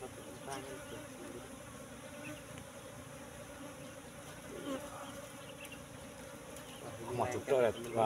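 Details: Wild Apis cerana colony in a nest discovered among bushes, honey-filled; a constant low droning hum holds for several seconds, then a human voice breaks in near the end.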